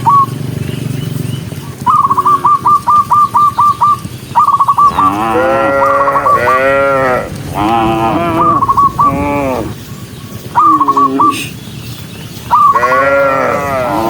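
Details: Several of a huge herd of tame cattle on the move low loudly, deep drawn-out moos rising and falling over a steady background murmur.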